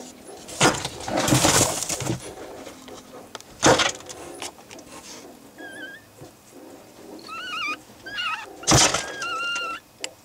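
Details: Fennec fox (Vulpes zerda) kits less than a day old, born early morning 24 May 2011, give thin, wavering squeaks between rustling, as the father stomps in the background at the observer: kit calls.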